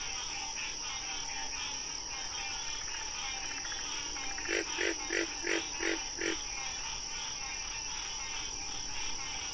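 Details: Frog giving a quick run of six loud, evenly spaced croaking pulses, each a short burst, over a constant high shrill drone and a steady background hum.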